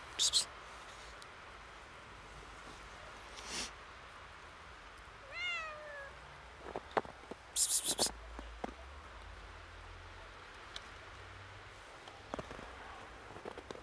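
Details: Kitten seeing snow for the first time, a little scared, gives one clear, slightly wavering meow of about half a second midway, with sharp crunching and clicking noises scattered before and after against a quiet background.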